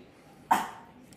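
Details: A five-month-old Shih Tzu puppy barks on seeing its own reflection in a mirror: one short, sharp, loud bark that fades quickly, with quiet room background before and after.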